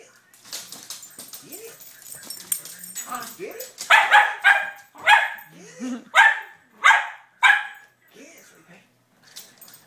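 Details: A pet dog barks excitedly while playing with a toy car: after some low murmurs and a voice, a run of six or seven loud, sharp barks comes about every half second, with people talking and laughing nearby.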